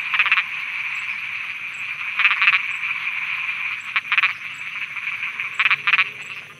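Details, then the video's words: At night in Thailand, frogs croak over a constant buzzing chorus; a nearby caller gives loud paired rasping pulses roughly every two seconds, standing out above the steady drone. "Thailand Night Frogs Soundscape"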